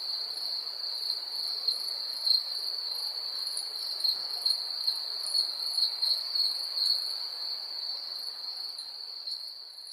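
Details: Crickets in ambient night sounds, recorded in 3D audio with a Rode NT-SF1 ambisonic microphone and Zoom F6 field recorder: a steady, unbroken high-pitched trill, with a fainter, higher chorus of rapid pulsed chirps rising and falling above it.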